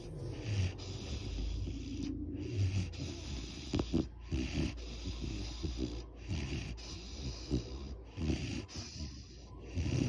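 A Great Dane snores in deep, rumbling breaths that rise and fall every couple of seconds.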